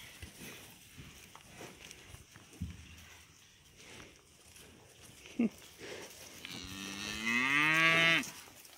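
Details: Young cattle running up to a farmer who has just driven up, cows named Sue, Jasmine and 40 called by name; quiet shuffling and voices first, then one loud, long, drawn-out moo with rich harmonics lasting nearly two seconds near the end.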